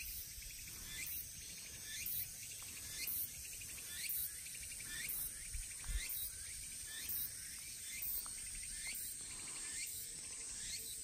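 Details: Walker's cicada (tsukutsukuboshi), dominant at about 15:09 on 23 August in Shikokuchuo, Shikoku, Japan, sings a rapid, rising, repeated phrase about once a second over a steady insect hiss.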